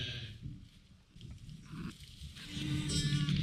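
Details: A newborn lamb in her first hours with respiratory issues cries in short, wavering bleats while being tube-fed. Her crying shows the tube is not in her lungs, and a person talks nearby.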